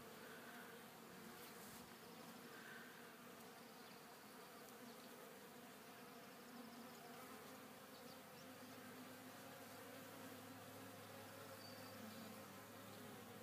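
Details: Honey bees in a Warre hive on their second day after installation, calm and working, cleaning dead bees from reused comb; a steady, dense droning hum fills the whole recording without pause.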